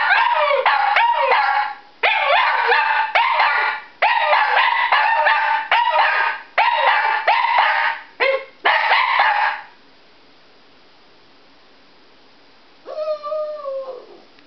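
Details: Two Shih Tzus, Pabu and Momo, howl in response to a fire siren: dense, harmonic wailing bouts with yipping edges, each lasting about one to two seconds and repeated for nearly ten seconds, then quiet, then one short wavering tonal note.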